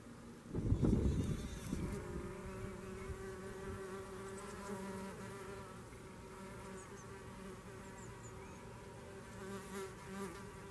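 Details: Red mason bees at a home in Garboldisham, South Norfolk: a steady low buzzing hum with layered overtones runs throughout, after a loud thump and rustle near the start.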